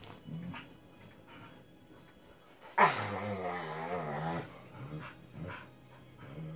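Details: Pet husky at bedtime, one of two in the household, letting out a single wavering, moaning woo. It starts abruptly and lasts about two seconds, wobbling in pitch, among faint indoor rustling and soft low sounds.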